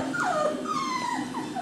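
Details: Four male Cockapoo puppies, brothers, eager to be held, recorded 18 April 2014; drawn-out whining whimpers that slide down in pitch, several overlapping in quick succession, with a faint low hum behind.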